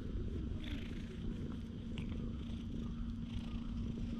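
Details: A stray cat relaxing in the middle of a path in a park, filmed with a GoPro HERO8. Its soft, low, rumbling purr is steady throughout, under a constant low hum and faint outdoor background.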